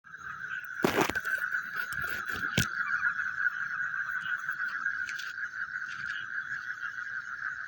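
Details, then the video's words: Frogs calling at night: a dense, continuous chorus of steady mid-pitched trilling fills the whole stretch, broken by several sharp cracking and breaking noises near the start and another few later on. "The Sound of Frogs Chewing in the Night"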